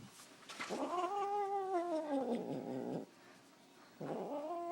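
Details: Female domestic cat growling while being held by the owner's father: a long drawn-out harmonic yowl of about two seconds that wavers and slowly falls, then a short pause and a second rising yowl begins.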